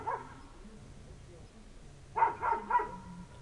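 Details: Village dog left waiting for its owner on a winter night, a single bark followed by a quick run of three barks, with a low hum in the background.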